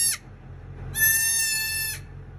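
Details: Newborn dwarf goat kid giving a single high, steady, nasal bleat lasting about a second, rich in harmonics, with a brief high squeak just before and low rumbling background noise.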